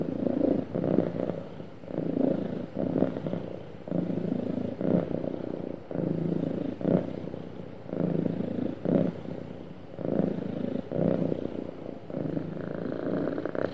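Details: Domestic cat purring happily and smoothly, a deep vibrating rumble broken into rhythmic breath cycles near one per second, with faint breathy gaps between pulses.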